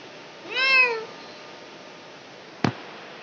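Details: During a domestic cat's delivery, a single drawn-out meow arches upward then sinks in pitch over half a second, its harmonics clear; a sharp click follows after a pause of quiet room tone.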